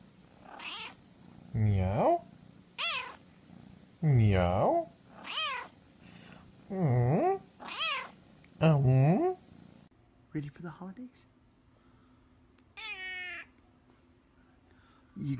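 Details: Domestic cats from a funny talking-cats compilation: a run of about seven loud, wavering meows, each bending up then down, spaced roughly every second or so, followed by quieter, thinner meows after a pause, with faint talking underneath.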